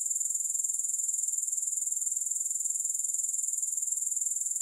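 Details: Steady, piercing grasshopper buzz from a relaxation recording without music, made of fast, evenly spaced pulses at a constant high pitch, with no other sounds.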